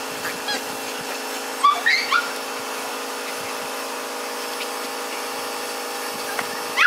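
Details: Miniature Schnauzer puppies, three sisters born April 10, give two short squeaky whines near the second mark and another brief yelp at the end, over a constant electrical hum.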